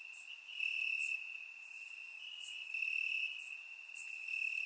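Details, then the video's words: Crickets in the grass at night during a warm Bulgarian summer, a shrill unbroken trill at one high pitch, intensifying briefly now and then, backed by thin, faint buzzing higher up. "Cricket Sounds - Crickets Chirping at Night"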